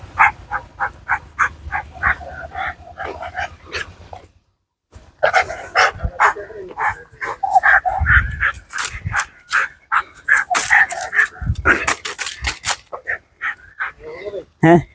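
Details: Dog that has been kept in a cage for years, barking in a fast, evenly spaced series for about four seconds, then falling silent briefly before a denser, more jumbled stretch of barks mixed with other noise.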